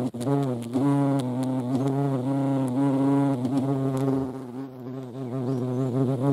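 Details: European hornet (Vespa crabro) buzzing at a feeding place: a deep, steady drone with strong overtones and gentle pitch wavering, briefly faltering near the end.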